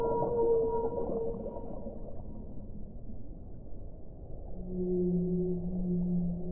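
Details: Two whale calls: a higher, wavering harmonic tone that fades out, then after a pause of underwater hiss a lower, steady moan rises in and is held to the end.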